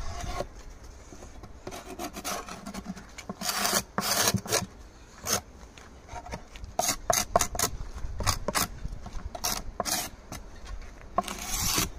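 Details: At the Santeny apiary, a series of rough rasping and scraping strokes against wood comes in bursts, separated by quieter pauses with faint background hum.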